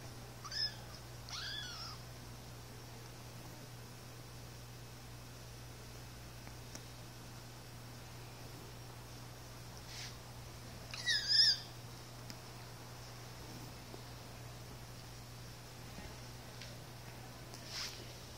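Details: Two one-month-old Siamese kittens, a male and his sister, playing indoors give a few thin, high-pitched mews, spaced several seconds apart over a steady low hum.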